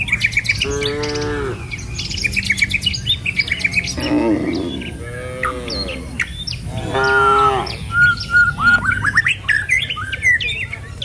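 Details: Tame cattle herd, dozens strong, walking a village road toward the pen in the morning; short, bending moos rise between busy chirping and squawking birds, with steady low trampling underneath.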